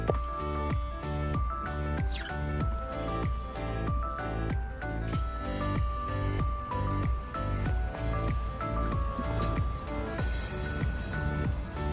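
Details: Bright instrumental music with a regular beat and chiming tones plays throughout, with no animal voices.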